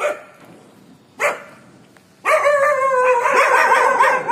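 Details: Labrador Retriever during leash walking training in Bangalore, India: two brief faint bursts, then a loud sustained harmonic whining cry with a wavering, slightly falling pitch lasting about two seconds.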